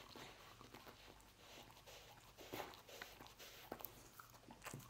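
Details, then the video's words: Pet dog named Lucy eating roast beef indoors in a small room: wet, irregular crunching and biting clicks scattered across a quiet background, with a few sharper snaps near the middle and end. "Dog Eating Roast Beef"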